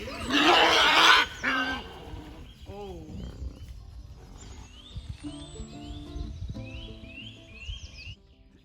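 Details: Wild boars in a wildlife park enclosure, excited as acorns are gathered for them, squabble over food, the adults not letting the younger ones feed: a harsh, loud squeal followed by softer grunts and chirpy noises before they calm down.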